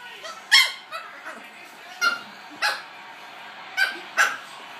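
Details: A Chihuahua gives short, high, clucking half-effort yaps when air is blown in its face, about six over five seconds at an uneven pace, sounding oddly like a chicken; faint voices underneath.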